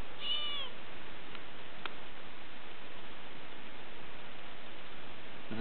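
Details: A growing domestic kitten that had climbed into a bag, filmed in April 2007, gives one high, thin meow with stacked harmonics early on. After it comes steady low background hum, a few faint clicks and a person talking to it.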